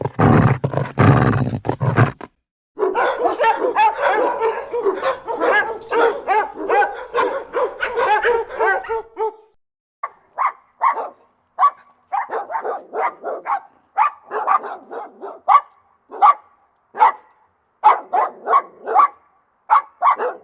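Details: Rottweiler dog barking aggressively: a loud noisy burst, a long stretch of nearly continuous rough barking, then shorter irregular barks with brief gaps, roughly seventy-five per minute.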